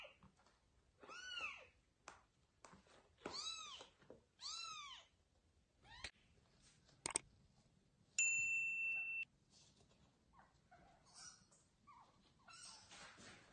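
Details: Kitten meowing while its mother cat moves it to a new place: three clear arching meows early on, then scattered clicks, a steady electronic-sounding tone and soft rustling.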